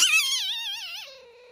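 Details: Haku-chan, the masked palm civet kept at Kusatsu Nettaiken in Kusatsu Onsen, in an irritated mood; a single brief shrill warbling call that wavers and then drops to a lower fading tone.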